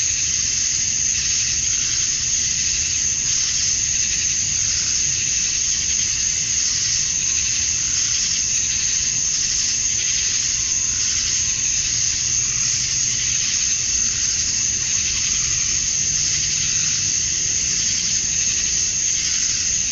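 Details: Male cicadas chirping at dusk on a summer night in Georgia, USA, calling to attract females; a dense, unbroken high-pitched buzzing chorus that swells and eases gently in slow waves throughout.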